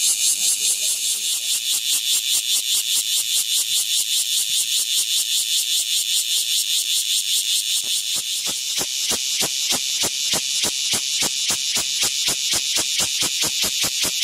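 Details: Cicada calling loudly on a window, a harsh high buzzing broken into rapid pulses that become sharper and more distinct in the second half.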